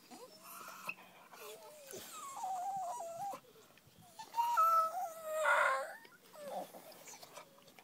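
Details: Female 10-month-old Staffordshire Bull Terrier that hates being tied up, sooking like a baby: wavering, high-pitched whines and moans that rise and fall in stepped tones, with a louder wailing burst midway.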